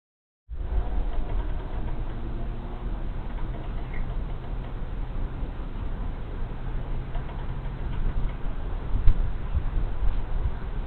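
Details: Honey bee swarm moving into an empty hive on 24 March 2023 after the colony there died over winter; a low, steady droning hum with faint layered tones in the first seconds, over constant low rumbling background noise.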